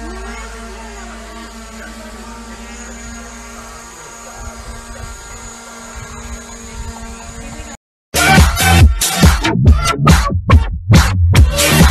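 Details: Sustained electronic pad music gives way, after a brief silence, to loud pulsing dance beats, with no animal sound.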